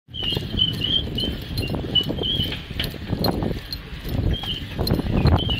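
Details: Doberman Pinscher named Noche out on his daily runs, letting out thin, high squeaks in short bursts roughly every second, over a heavy rumble of thudding steps and rustling movement.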